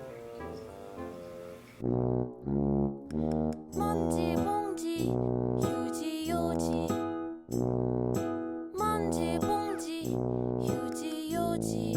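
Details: Brass-led instrumental music, with trombone and horn-like notes playing bouncy repeated phrases over steady low bass, and no animal voices.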